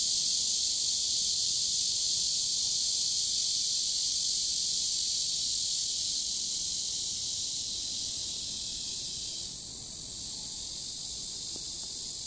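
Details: Cicadas singing next to a river in warm summer, dated 23.7.15; a constant high electric-sounding drone that changes texture and softens a little in the later seconds.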